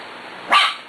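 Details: A single short, sharp bark from one of a litter of six-week-old puppies at play, a bright burst lasting under half a second against a quiet room hum.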